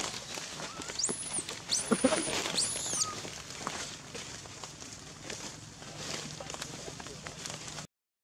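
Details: Wild baby monkey near Angkor Wat, Cambodia, angry that its mother will not give milk, riding on her back: three thin, very high squeals that arch up and fall within the first three seconds, then low rustling background noise.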